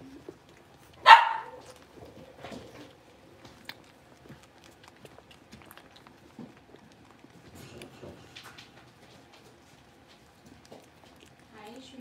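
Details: Single sharp bark from one of five blenheim Cavalier King Charles Spaniel puppies, born on New Year's, just moved to a bigger indoor pen; the bark sounds once near the start, followed by soft rustling and faint small noises in a quiet room.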